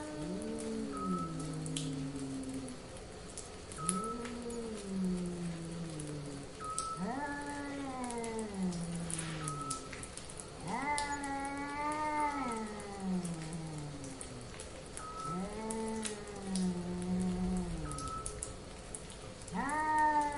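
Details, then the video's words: Cats in heat give a series of arching, harmonic howls. Each rises and then falls away, coming roughly every two to three seconds, and some calls climb higher and strain. A brief high tone recurs, with a light patter like rain behind. "Cats in Heat"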